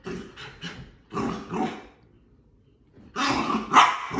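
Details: A female Bull Terrier puppy gives short, husky barks and grumbling growls in quick bursts after burying her toy in the couch and trying to dig it back up.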